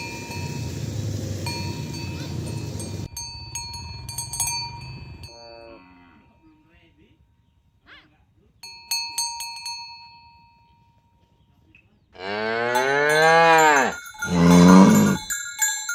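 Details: Morning herd of tame cows driven along village roads toward the pen; after stretches of cowbell ringing and near silence, a long strong moo rises then falls, followed straight away by a second loud moo.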